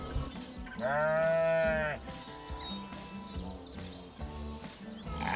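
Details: Sheep giving a single drawn-out, quavering bleat lasting about a second, with stacked tones holding steady, heard over continuous background music.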